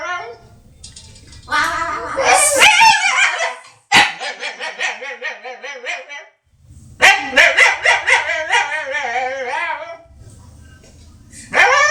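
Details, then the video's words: A dog makes a string of odd, strained yelping and whining noises, harmonic and wavering, in bursts separated by brief silences, with some breathy grunts and low room rumble between them. "Funny DOG MAKES FUNNY NOISES"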